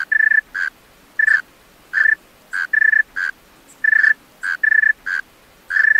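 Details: Singing male tree cricket at night: pure, whistle-like chirps, often a pulsed burst followed by a shorter smooth note, repeated about every second in a still setting.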